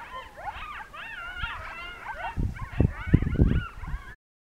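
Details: Several coyotes in a pack howl together in wavering, rising and falling yips and wails in the mountains of Northern New Mexico on an evening as a monsoon storm rolls in, with low rumbling wind or thunder.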